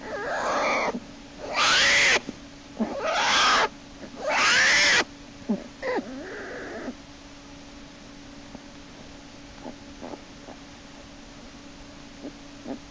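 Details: March 1, 2011, in Lily's den: black bear cub Jason screams and kicks as Hope hauls him back by a hind leg. Rapid run of four loud, strained squalls, then weaker whines and faint knocks over a low hum.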